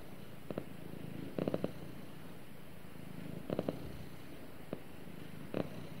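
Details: Snuggling cat purring beside its owner, a faint low continuous rumble punctuated by a few short clustered bursts of rustling, the loudest around the middle of the recording.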